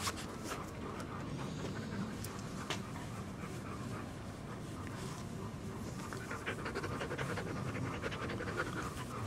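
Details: Panting from a large family's big dogs, including Nami the young Siberian Husky and arthritic seven-year-olds Duke and Duchess; quick huffing breaths at nearly three per second, clearer in the second half over low rumbling background.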